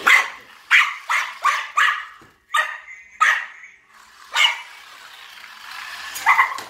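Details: Maltese dog DJ chasing a toy remote-control police car, giving a run of sharp, high barks about every half second, then scattered single barks over a hissing background.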